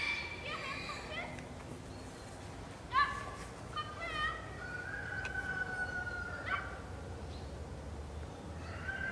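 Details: Captive Northwestern wolf (Canis lupus occidentalis) at Wildfreigehege Nöttler Berg, Saerbeck: drawn-out level tones with a few short upward-sliding notes and faint overlapping voices, against steady low background noise.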